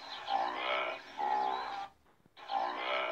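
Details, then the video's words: Antelope calling in long, hoarse, wavering bleats, two in close succession, then a sharp break and a third bleat. "Som de Antílope"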